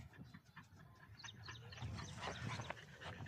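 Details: Rocky, a Belgian Malinois dog, pants in quick breathy bursts of about four per second. The bursts grow louder and denser toward the end over a low background rumble.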